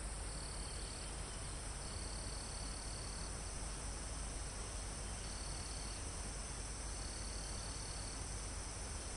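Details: Crickets with other insects almost at the top of a mountain, in a forest recorded live. Four trilled bursts, some over a second long, rise above a constant shrill insect drone. Wind in the trees hisses steadily.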